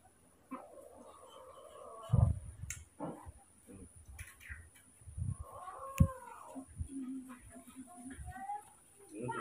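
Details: Baby monkeys Moni and Mino, kept and hand-raised, scared and angry at the sight of a new cameraman: a series of harmonic squealing wails, some arching up then down, with thumps and handling noises between them, indoors.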